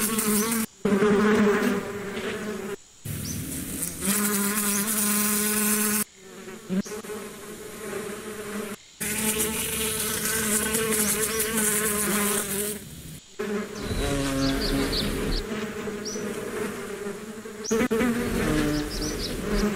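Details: Bees buzzing as a steady droning hum with strong low harmonics, cut into separate stretches by brief silent gaps, with faint high chirps in the background.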